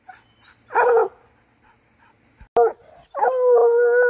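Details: Coonhound in training to hunt raccoons, giving a short harmonic bawl, a brief yelp, then a long steady howl held near one pitch for about a second; quiet pauses between calls.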